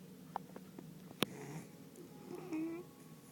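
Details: Sleeping Beagle called Jay dreaming indoors: soft low snoring breaths, a sharp click, then a thin whimpering tone near the end.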